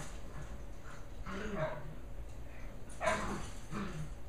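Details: Shetland Sheepdog puppies Holly and Pearl, 11.5 weeks old, in serious play-wrestling during their last evening together; three or four short gruff yips and growls over a low background hum.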